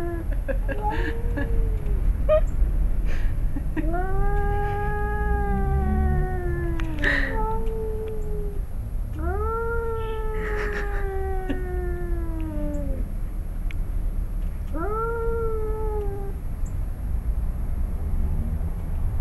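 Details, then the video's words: In a yard in Arequipa, Peru, a male cat and his son growl at each other before fighting: four long, arched, drawn-out yowls, each lasting two to three seconds, separated by brief pauses, with faint hissy bursts between. "Peruvian Cats About To Fight"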